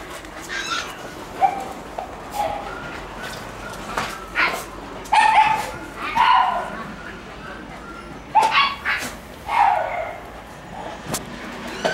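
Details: Shiba Inu puppy romping wildly indoors in the morning sunlight, giving short, high, clear yips and whimpering barks in scattered bursts every second or two, with soft thumps and faint voices between them.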